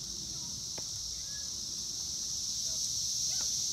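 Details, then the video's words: Male Cassin's 17-year periodical cicadas in Lake Accotink Park, Northern Virginia, give a continuous, high, shimmering buzz without break, with faint scattered clicks and soft background sounds. "Magicicada Cassini Sounds - warming, calling, courtship"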